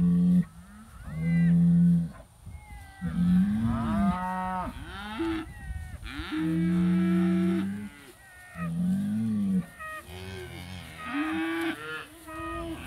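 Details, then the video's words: Herd of British White cattle going wild over an old hide hanging on a hay ring, July 2013: a chorus of drawn-out moos, some low and level, others higher and bending up and down, nearly continuous with brief pauses. "British White Cow Herd Finds the Hide"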